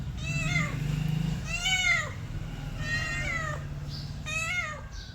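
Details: Mother cat with kittens, four high, bright meows about one second apart, each rising slightly then curving down, over a continuous low hum.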